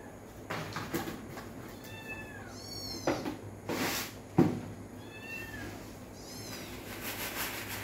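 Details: Pet cats and kittens at their dinner indoors: a run of high, wavering mews, some doubled, rising then dropping in pitch, punctuated by dull thumps and a knock, over a steady low hum.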